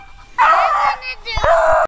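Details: A beagle giving tongue at a treed squirrel: a sudden loud, drawn-out harmonic bay that sags slightly in pitch, breaks briefly, then resumes as a second strained howl, close to the microphone.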